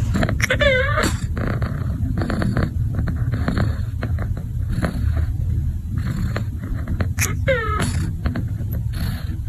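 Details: Domestic cats, a younger brother and sister, recorded in August; two short meows with curved, wavering tones, one near the start and one near the end, over steady low rumbling and scraping noises.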